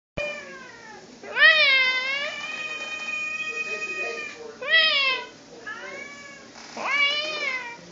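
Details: Cat giving mating calls: four drawn-out, wavering yowls rich in harmonics, each about a second long, swelling then bending downward, separated by quieter gaps with a faint background hum.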